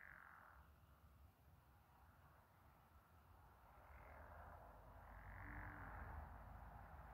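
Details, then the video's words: Chorus of frogs or toads with moonlight on the water, rough croaking trills in rising and falling swells, growing louder toward the end over a low steady rumble. "Frog/toad symphony with moon reflection"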